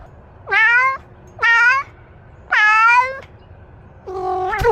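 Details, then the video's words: Domestic cat meowing: three drawn-out, nasal meows of about a second each, steady in pitch with a slight downward bend, spaced roughly a second apart, then a fourth louder, wavering meow that cuts off abruptly. "Cat's funny sound"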